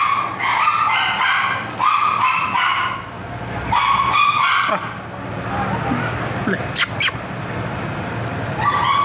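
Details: Male Bichon Frise puppy in India giving high-pitched yips in quick repeated bursts, several runs over a few seconds, with a steady background hum and brief clatters.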